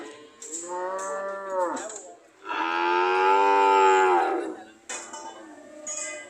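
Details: Cows ready to leave, mooing repeatedly: a falling moo, then a long, loud, rich-toned bellow lasting nearly two seconds, followed by shorter calls and a faint hiss in the background.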